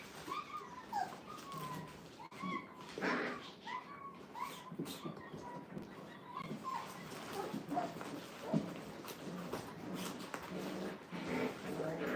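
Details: Brittany puppies, five weeks old and in a playpen for the first time, keep up a run of short, high whimpers that fall in pitch, several overlapping, with faint voices and rustling behind them.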